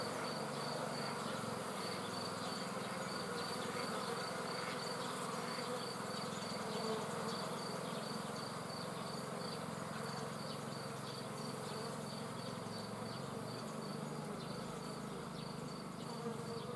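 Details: Swarm of bees giving a dense, steady droning buzz that fills the low and middle range throughout, with a faint, regular high ticking chirp repeating in the background.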